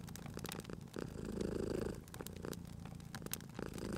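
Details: Cute cat asleep by a crackling fireplace, purring: a deep, steady rumble that builds into one strong swell midway and then softens, scattered crackles and snaps from the fire over it.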